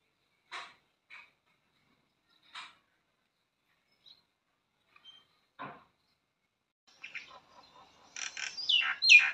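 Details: A squirrel filmed in the morning in a village gives sharp, high chirps, spaced apart at first, then running into a quick burst of chatter.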